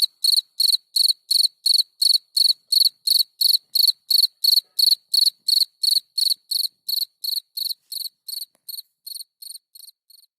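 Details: Gryllus campestris, the field cricket, singing at night: a steady series of shrill, evenly spaced chirps, about three per second, that gradually fade toward the end.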